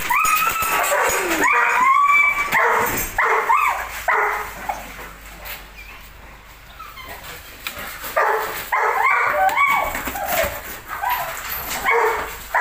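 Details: Belgian Malinois shown as aggressive, barking in bursts: a run of loud, harmonic barks and yips for about four seconds, a quieter gap, then another rapid volley near the end; some background noise throughout.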